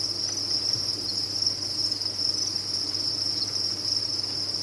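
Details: Crickets kept on a cricket farm, many chirping together as one steady, shrill, high-pitched chorus that never breaks, over a faint low hum.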